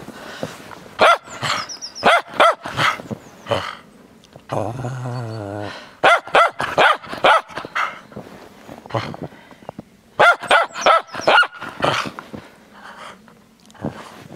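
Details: Frisky Cairn Terrier playing in the snow, giving rapid bursts of sharp, high barks in quick clusters, with a brief low rumbling growl-like stretch in the middle and short pauses between volleys.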